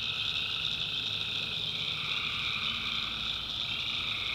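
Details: Nighttime chorus of tree frogs in the North Carolina backwoods: many overlapping high trills merge into a constant shimmering drone, beneath which faint lower croaks come and go.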